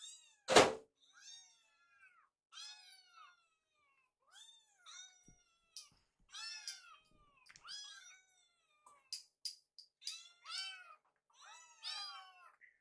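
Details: Hungry rescued kittens wait in a kitchen as food is prepared; after a loud knock, repeated high, wavering meows from several kittens follow every second or so, growing more insistent and overlapping toward the end.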